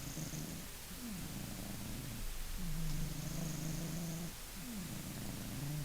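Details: Funya, a Maine Coon, snoring in sleep: deep purr-like buzzing drones, one long exhalation near the middle, bracketed by shorter rasping inhalations.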